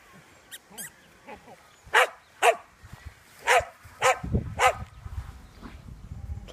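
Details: Pet dog Ollie emerges from his hiding spot wanting company in play, giving five barks at irregular intervals, preceded by faint toy squeaks and followed by low rustling.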